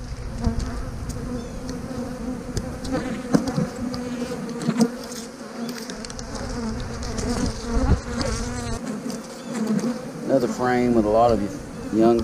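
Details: Honey bees buzzing steadily while a beekeeper splits a hive, moving a frame with young brood into the split. The drone is low, broad and continuous, with handling knocks and a brief wavering voice near the end.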